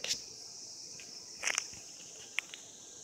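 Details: Cicadas mating in 2016: an unbroken high, steady drone carries through, with several short crackling clicks scattered across it.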